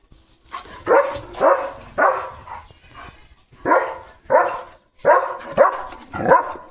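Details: Leo, a German Shepherd, playing in a flower-filled home courtyard; a run of loud, harsh barks in quick bursts, some doubled, with short pauses between groups.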